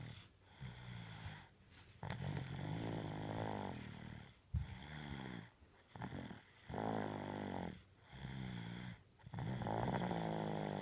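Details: A sleeping dog named Tengo snores loudly, with deep buzzing breaths swelling and fading in steady waves about once a second, broken by brief silent pauses between runs of snores.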